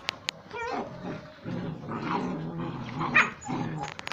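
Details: Puppies playing and play-fighting with their mother and littermates; short high yelping whines early on, then low growly grumbles and scuffling noises throughout, with a few sharp clicks and knocks.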